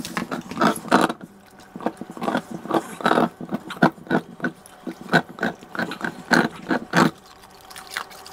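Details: American Bully dog in a small indoor room, giving irregular throaty grunts and snuffles, some longer and louder, separated by brief quiet gaps, with faint wet, liquid-sounding noises between them.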